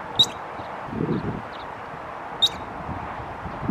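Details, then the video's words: Squirrel flicking its tail as it calls, giving two brief piercing chirps spaced a little over two seconds apart, with a soft low thump between them and constant faint outdoor hum. "A squirrel chirping and flipping its tail at the same time"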